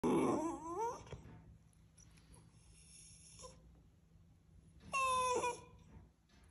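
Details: West Highland White Terrier puppy crying after being denied a treat indoors; a high, wavering whine opens, then quiet room hum, followed near the end by a second short, falling whine.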